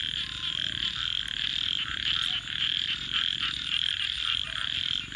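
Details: Frogs calling after dark, a loud high-pitched pulsing chorus with rapid rhythmic beats, accompanied by crisp campfire crackles and a couple of sharp pops.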